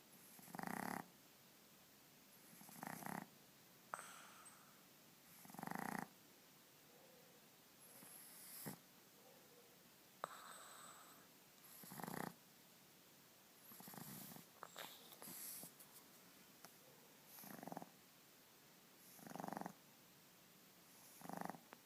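A Boston Terrier puppy snores in slow, rasping bursts every couple of seconds.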